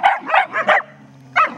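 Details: Playful Border Collies Thor and Logan in a rope tug-of-war at Vale do Sol give a quick run of four yipping barks, a pause with soft growling, then one more sharp bark.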